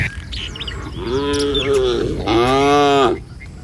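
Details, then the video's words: Tame cattle walking as a herd through a village in the morning on their way to find food in the fields; two clear, drawn-out moos, each about a second long, with faint birdsong behind. "Suara Sapi Mouu"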